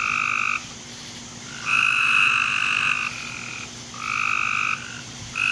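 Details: Frogs in a backyard give long, steady, buzzy trills at night, about 10:45 pm on 24 July 2017, one after another with brief pauses.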